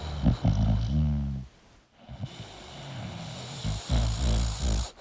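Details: Sleeping English bulldog making a loud snorting snore with a buzzing, nasal tone, a short pause, then softer low rumbling breaths.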